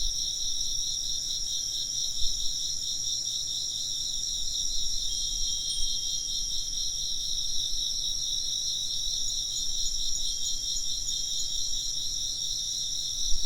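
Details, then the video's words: Steady chorus of chirping insects: unbroken high, shimmering pulsed trills layered at several pitches, barely changing in loudness, over a soft low background hum with a couple of faint thumps. "風鈴の音と虫の声 - wind chimes and chirping insects"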